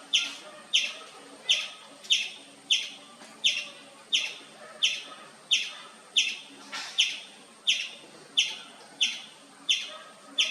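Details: Steady nonstop chirping by an Indian palm squirrel, crisp high notes repeated about every 0.7 seconds, fifteen or so in an even series, background otherwise quiet.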